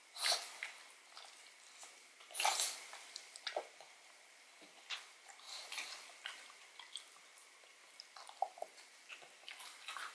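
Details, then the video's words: Odin the pug gnawing a bone filled with marrow in a small indoor room: irregular crunchy clicks and wet gnawing bursts, with louder bites near the start and around the middle, separated by brief quiet pauses. "ASMR Dog Eats Bone Marrow [Pug/Mukbang]"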